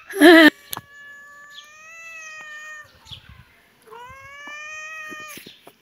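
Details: Kitten and cat at play in a yard: one sharp, loud squeal-like meow, then two long, flat, steady mews held for about two seconds each, with a soft thump between.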